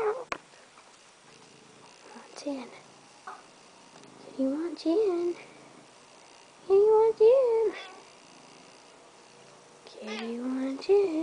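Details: Cat wanting to be let into the house, giving drawn-out, wavering meows that rise and fall, about four calls spread over eleven seconds, with quiet pauses and light handling noises between them.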